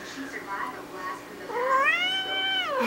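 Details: Domestic cat begging for food, a few soft short mews followed by a loud, long, rising-then-falling meow lasting over a second, indoors in a small room.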